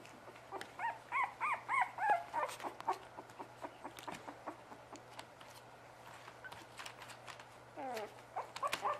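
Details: Several Bugg puppies yipping in quick, rapid strings of small squeaky calls that rise and fall, denser early on, then a quieter spell before a few more whiny yips.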